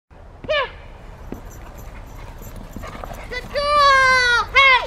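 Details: Female Rottweiler playing in protection training, recorded March 18, 2021. Short high whining yelps: one early, then a long sustained whine near the end and a final sliding yelp, with human speech between.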